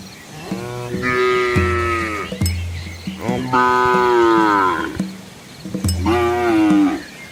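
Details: Cows and calves moving along a scenic village road in Asia, lowing repeatedly: three rich moos, rising then falling, about two seconds apart, with low rumbling between them.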